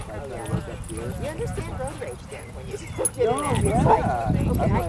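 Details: Fozzy, a ten-month-old dog, plays with other dogs at a local dog park; short yips and barks from several dogs break out toward the end, while people chat steadily in the background.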